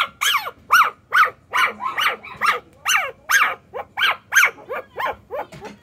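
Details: Puppy with a sweet-sounding cry: rapid repeated high yelping whines, each bending up then down, about two or three per second in a steady run, over faint background hum.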